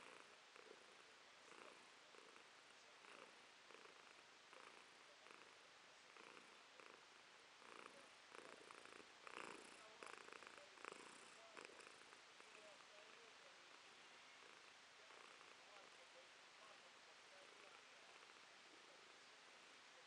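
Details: Domestic cat named Romashka purring in July 2023, stretching one paw out in a morning dance-like pose; a steady hushed rasp swelling with each breath in soft regular pulses, a little louder toward the middle, indoors and otherwise quiet.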